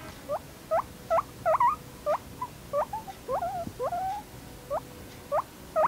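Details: A guinea pig whines in short, rising squeaky notes, expressing discomfort, annoyance or pain, like "leave me alone." It is often heard when another guinea pig bothers it while eating, drinking or sleeping, or tries to mount it.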